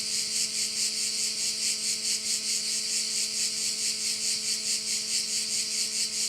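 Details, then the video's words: On the Croatian island of Korčula, crickets fill a bay view with a continuous shrill, rasping drone that throbs in regular quick pulses, over a quiet constant low hum. "Korčula - view of one of the bays in Korcula with sounds of crickets"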